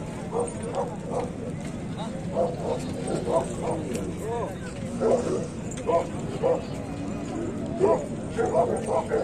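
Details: Puppies at a dogs market where Kohati Gultair and German Shepherd puppies are shown, giving short repeated mid-pitched barks and yips about once a second, with a man talking steadily over them throughout.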